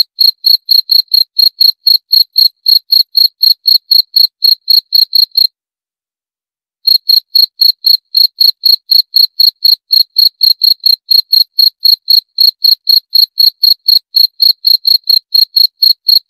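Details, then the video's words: Cricket calling with shrill, high-pitched chirps repeated about four times per second in a steady pulse, broken by one silent gap of over a second midway, otherwise against complete silence. "Suara Jangkrik - 34 Minutes Cricket Sound Effect"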